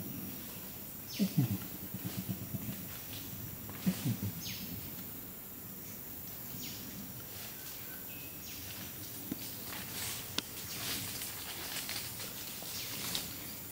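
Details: An adult flanged male Bornean orangutan (Pongo pygmaeus) at Tuanan Research Station, Central Kalimantan, Indonesia, gives deep, pulsing grumbles of its long call against a humming forest.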